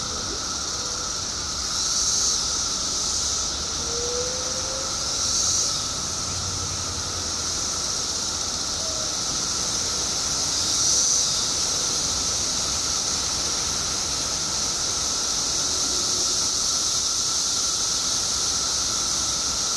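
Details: Billions of periodical cicadas, emerged in Illinois after 17 years below ground, fill the air with a relentless high hissing drone and a lower steady tone, pulsing louder around two, five and eleven seconds.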